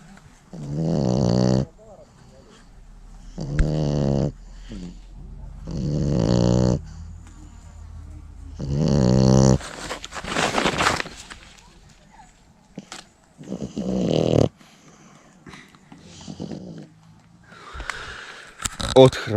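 A French Bulldog snores in loud, rasping bursts that return every two to three seconds.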